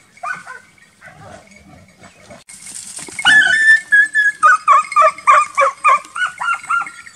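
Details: Transylvanian Hound in wild boar hunting training: faint distant barking first, then after a loud burst a clear run of evenly spaced, ringing barks about three a second.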